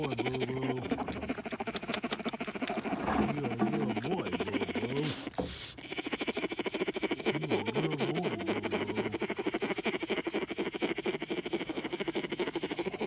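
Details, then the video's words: Young bear sucking its paw as it falls asleep, humming in low, wobbling tonal phrases that bend up and down, broken by pauses, with continuous rhythmic sucking and smacking throughout. "Baby Bear Singing A Lullaby Himself Right To Sleep"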